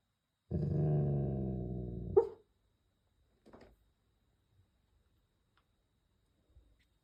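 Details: Snoring Golden Retriever deeply asleep while travelling: a long, steady, low droning breath lasting almost two seconds that ends in a sharp snort, then faint soft snuffles and near silence.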